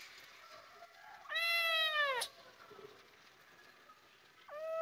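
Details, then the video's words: Kitten calling its mother in an Indian village: one clear, high meow that rises then falls, followed by silence and the start of a second meow, over faint background hiss. "Cute Cat Meowing Sound and Calling Mama"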